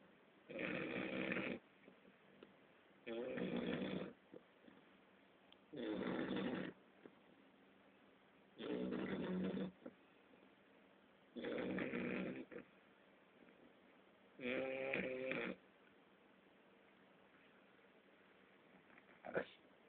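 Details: English Bulldog puppy asleep, snoring in slow, fairly regular breaths: six long rasping snores of about a second each, spaced roughly every three seconds, with quiet pauses between and a short sharp sound at the very end.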